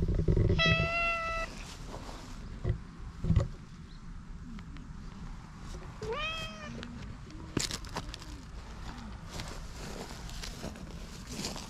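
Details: Oddly patterned stray cat appealing for attention outdoors at night: one flat harmonic meow near the start, then a rising, bending mew a few seconds later, with scattered clicks and low ambient rumble.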